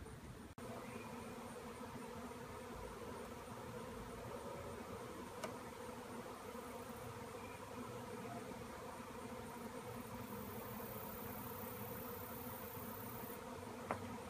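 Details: Honeybees cut out from a tree swirling as a swarm in the air; steady, dense, low droning buzz with layered humming tones, unbroken throughout, with faint clicks.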